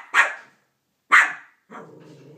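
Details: Two sharp barks from Banjo, a Cavalier King Charles Spaniel, aimed at Minnie Mouse for taking his bone, followed by a low rumbling growl.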